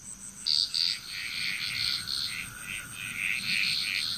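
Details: Frog chorus in Bali, Indonesia: dense, overlapping bursts of rasping, trilling notes from several callers, two louder croaks near the start, over a steady high insect whine.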